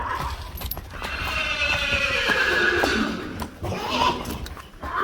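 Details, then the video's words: Friesian horse neighing, one of a herd of 25 kept horses: a long harmonic whinny sweeping down over several seconds, with hoof clip-clop and clattering knocks around it. "Neighing horses. More than 100 times | April Fools' Day | Friesian Horses"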